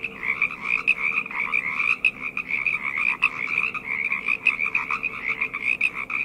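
A dense night chorus of frogs, many voices overlapping in a steady, pulsing trill.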